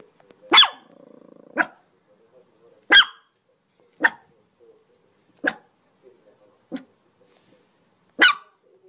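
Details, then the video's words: Seven dog barks at irregular intervals of about one to one and a half seconds; a brief rasping, buzzy stretch follows the first bark. "صوت كلاب"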